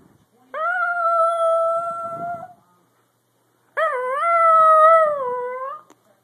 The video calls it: Daphne Dachshund howling